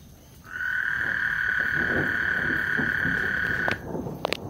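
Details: ['Single frog trill on Lake Houston before a storm: one steady buzzing note held for about three seconds, then a few sharp clicks.']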